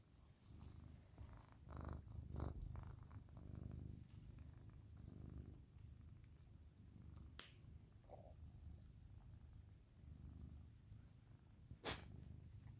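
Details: Dodger, a pet dog napping indoors, snores in soft low rumbling bursts that swell and fade over several seconds, with a few sharp clicks and a brief bright knock near the end of a quiet room.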